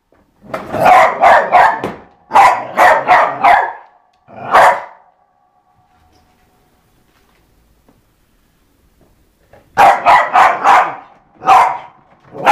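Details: Pet dog Eva barking while playing with a skateboard, quick runs of four or five sharp barks, single barks between, a silent pause of several seconds, then another rapid series.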